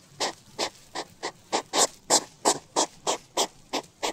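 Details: Hedgehog making a quick run of short, breathy puffs, about three each second, every burst broad and noisy, keeping a fairly steady rhythm for four seconds against a quiet background.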